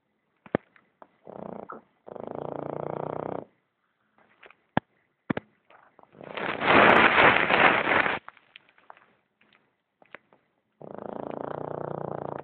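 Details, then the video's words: Boston terrier named Newton snoring: long rasping, noisy breaths lasting two to three seconds each, three main snores with the middle one loudest, separated by quiet gaps dotted with short clicks and sniffs. "BOSTON TERRIER - NEWTON - roncando"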